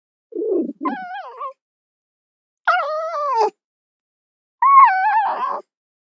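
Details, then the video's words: Fox, from a compilation of red fox sounds: three separate drawn-out, whining calls about a second apart, each rich in harmonics with a wavering, slightly falling pitch, the first broken into rough yelps. Silent background. "Fox Soundscapes"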